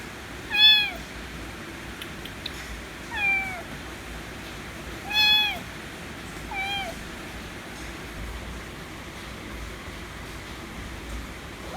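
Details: White kitten meowing for affection: four drooping meows in the first seven seconds, the last softer, followed by quiet room hum.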